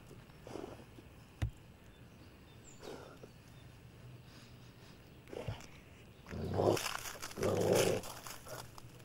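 A Basset Hound gives two deep, loud, drawn-out barks after a few faint, quieter sounds.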